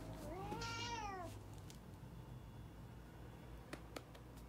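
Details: Cat demanding food: a single bending meow near the start, rising and then falling over about a second, followed by quiet room sound and a couple of sharp clicks.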